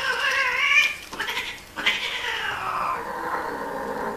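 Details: Mating domestic cats giving odd cries: a loud, harmonic, wailing yowl that wavers, breaks briefly, then resumes as a long, slowly falling caterwaul.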